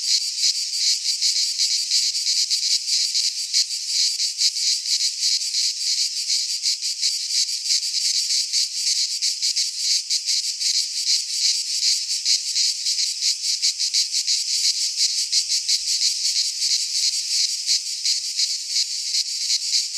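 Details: Cicadas in midsummer, pine forest in Greece, producing a relentless sizzling chorus beating quickly at nearly three pulses per second, steady volume, no birds or people heard.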